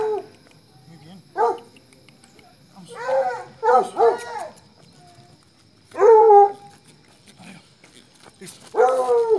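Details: Colombian Fino Hound baying in uneven bursts: short yelping notes, then louder ringing bays with rich harmonics at irregular intervals, separated by quiet gaps.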